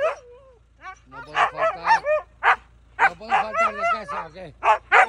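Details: Huskies scolding their owner on return home: short, bent, whining yowls in quick clusters, several per second, each sliding up and down in pitch, mixed with the owner's voice calling Bombón.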